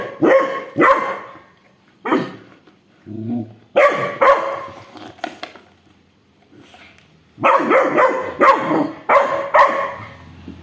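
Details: Rottweiler and a two-month-old Labrador puppy in a squabble over a stolen toy: bursts of harsh, throaty barking, a brief lull mid-way, then a renewed run of rapid barks.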